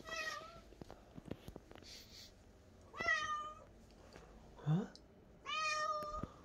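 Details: Momi the cat mews three times, spaced about three seconds apart, each call clear and slightly falling, with soft clicks and a brief low thump between them in a quiet room.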